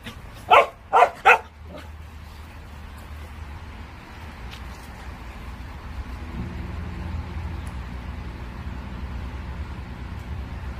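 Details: Black-and-tan Jindo dog giving three quick barks in the opening two seconds and a faint fourth, then falling silent while a low, steady engine-like rumble fills the rest.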